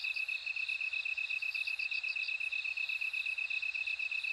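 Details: Bell cricket trill, a crisp string of evenly spaced high pulses about two per second, with short chiming notes scattered above and a soft low murmur in the background.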